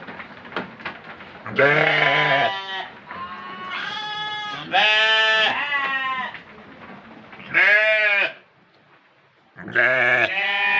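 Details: Goat kept for the Qurban sacrifice, bleating loudly: about five wavering, nasal bleats, each one to two seconds long, separated by quieter stretches with soft background noise.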